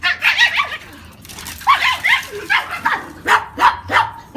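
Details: Brussels Griffon in Veracruz giving high-pitched yipping barks in short clustered bursts, about a dozen sharp yelps over four seconds, some with a whiny rising edge, close and loud.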